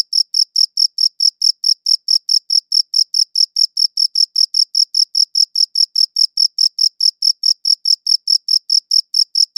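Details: High-quality recording of a cricket chirping: rapid, regular high-pitched chirps repeating about four times a second without pause, clean and uniform, nothing else audible.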